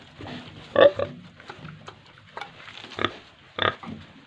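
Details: Farmed pigs in Tripura, giving a few loud, separate grunting bursts, the strongest near the start, with quieter snuffling between them.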